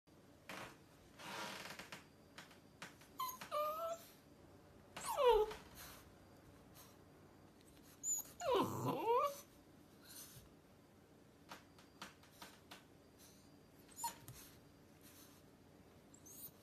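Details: A Rottweiler puppy on its first day home whines and wails in drawn-out, falling cries, pleading to be lifted down off a counter.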